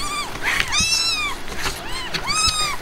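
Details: Himalayan cat mother with her newborn kittens; a run of four high, bright meows, each rising then falling, come close together over faint low background hum.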